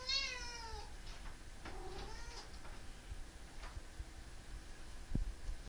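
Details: Enzo, a pet cat, meows in the morning to rouse its owner: a sharp high meow, then a shorter lower one a second later, against constant indoor hum and a soft knock.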